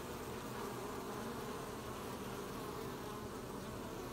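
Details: Bees collecting honey, recorded 20 July 2020: a dense, steady drone of many wings, a continuous low hum with no breaks, filling the whole recording evenly.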